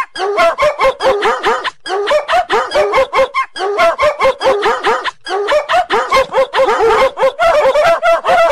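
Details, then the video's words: Labrador Retriever giving loud, rapid, continuous barking, sharp repeated barks more than once a second with only brief gaps. "Labrador Dog"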